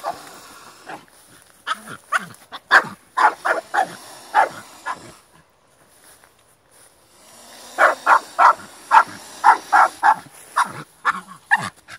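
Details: Staffordshire Bull Terrier during a fight, giving short harsh barks in rapid irregular bursts, a loud run for about five seconds, a pause, then another dense volley of repeated barks.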